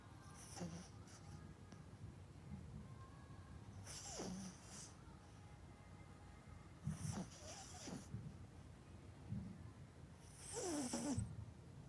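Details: Melody, a pet Yorkshire Terrier kept at home, snoring while sleeping deeply: soft breathy snores recurring about every three seconds, each a hissing rush with a low rasping undertone, over a quiet room hum.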